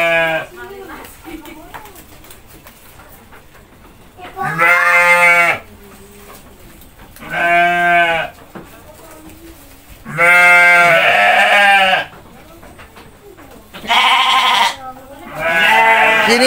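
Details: Goats being fed by a child and his mother in Indonesia, with about five goats present. Five loud, harmonic bleats of about a second each arrive every few seconds, and quiet talking is heard in the gaps.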